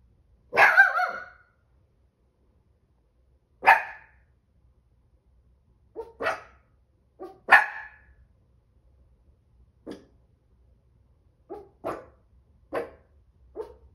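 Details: Anxious Chihuahua, five and three-quarter months old, barking; about nine sharp, high yaps spaced irregularly over fourteen seconds, the first loudest and longest, later ones shorter and softer, in an otherwise quiet room.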